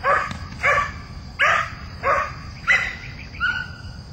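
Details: First bite-work chase for Mina, a young female Belgian Malinois barking at the bad guy with a still-friendly tone; six bright, harmonic barks evenly repeated about every two-thirds of a second, a steady high whine in the background.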